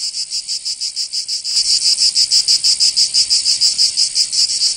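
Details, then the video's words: Cicadas singing in summer in Provence, southern France: a high, dry buzzing pulsed about four times per second, quieter for the first second and a half, then swelling to a louder, steady throbbing chorus. "Canto Cigarra"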